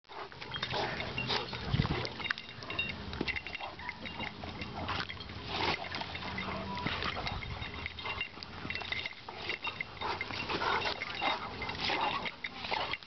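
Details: Two dogs, an English Mastiff named Dozer and a Boxer named Bo, still playing at the dog park, making near-continuous throaty grunts, snorts and growls with scuffling bursts throughout, a little speech mixed in.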